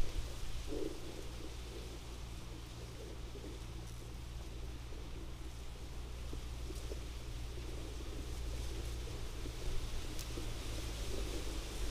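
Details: A low steady rumble of engine or wind noise with faint rain-like hiss; no animal calls stand out.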